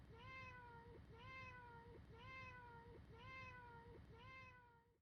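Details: Five identical meows from a domestic cat, spaced one second apart as a repeating loop, each a clear drawn-out tonal cry with a slight upward lift at its close, over a low steady hum, fading at the end.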